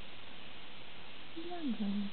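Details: Two-week-old Border Collie working sheepdog puppy from an Austrian kennel, indoors, giving a short rising then level whine near the end, over steady low background hum.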